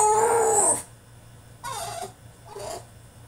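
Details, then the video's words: Male French Bulldog protesting in his cage: a loud, sustained, high-pitched wail that cuts off abruptly, then two shorter, quieter cries. "FRENCH BULLDOG THROWS TANTRUM IN HIS CAGE!!"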